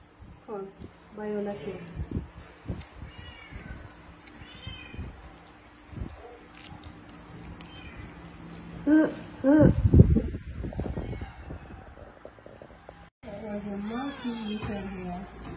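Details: Stray cats and kittens being fed at a house, meowing as they eat; scattered short, rising meows from several kittens, a louder burst of mixed noise near ten seconds, then more meows at the end.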